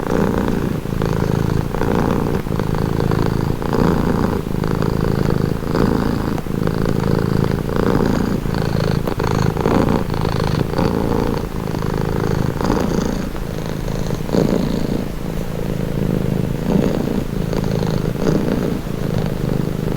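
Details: Domestic cat purring continuously, meant as a soothing stress-relieving sound: deep rhythmic rumbling drone that pulses with each inhale and exhale about every two seconds, faint airy hiss layered on top.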